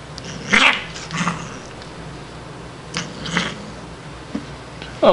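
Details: Shiloh, a female Siamese cat, hissing and growling while playing, not angry; breathy bursts roughly every second or two, ending in a short tonal cry, indoors with faint background hum.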